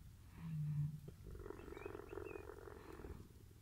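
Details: A captive cheetah being cuddled by a staff member collecting food bowls at the end of the day. A short low hum is followed by about two seconds of steady, throbbing, rumbling purr.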